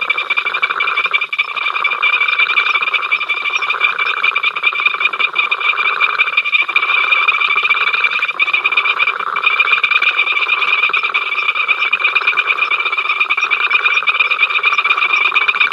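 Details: Many frogs calling together at Ol Donyo on the africamLIVE live cam, an incessant row: a continuous wall of rapid rattling croaks layered with a sustained high ringing tone, unbroken throughout with brief dips.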